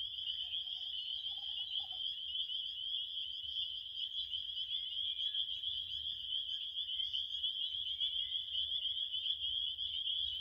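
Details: Massed crickets trilling continuously, a bright, high, pulsing chirp chorus holding steady throughout, over a faint low background hum, with a brief quieter mid-pitched tone near the start.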